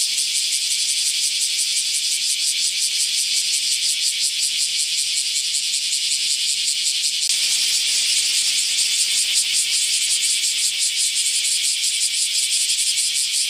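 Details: Shrill, rattling cicada song, a dense high buzz beating in regular pulses about three per second, unbroken for the whole stretch.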